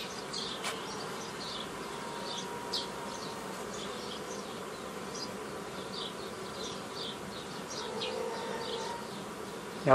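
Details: Forager swarm of honey bees being split into nucleus colonies by a traditional method, mid-May 2018: continuous low buzzing drone with a faint steady tone, scattered bird chirps overhead and a knock at the end.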